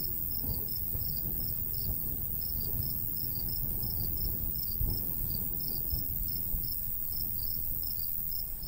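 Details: Crickets in a summer countryside beside a golden wheat field, with a light breeze: short pulsed chirps repeat steadily and high, several per second, over a constant low rumble of wind.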